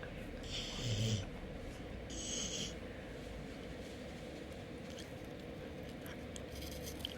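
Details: Golden Retriever; nasal sniffling; appealing for attention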